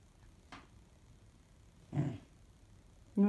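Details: A 16-week-old female Standard Poodle puppy, overtired and restless past her bedtime, gives short, scattered whines and grumbles. The last one is a clear, tonal moan.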